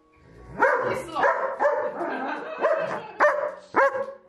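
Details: German Shepherd scolding its owner over food promised at mealtime but not delivered; rough, rising grumbles and half-barks in quick irregular bursts, about two per second, with a woman's voice faintly mixed in.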